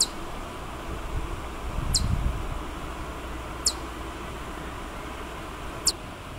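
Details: A Siberian chipmunk in Sapporo, Hokkaido, in April 2020, newly out of hibernation and foraging, gives sharp, high, bird-like chirps, one every two seconds or so, over a low rumble.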